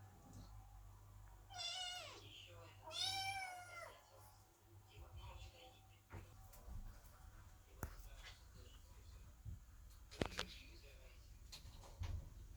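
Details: Kittens meowing at the door while their mother Chloe gives birth; two clear, rising-falling meows come early, followed by quieter room sounds, faint voices and occasional clicks.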